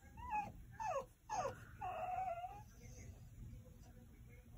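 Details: French Bulldog giving quick whimpers, three short sliding whines in fast succession followed by one longer wavering whine, then quiet room hum.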